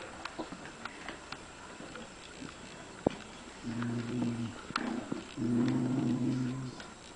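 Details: Dogs Luigy and Rocky in a fight: two low, rumbling growls, the first about a second long, the second nearly a second and a half, with scattered faint clicks, a sharp knock before them and a quiet background.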